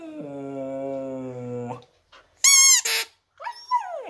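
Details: Siberian husky howling in a playful singing style: a steady, drawn-out low tone held for nearly two seconds, then two short loud bursts and a wavering, rising-and-falling woo-like cry at the end.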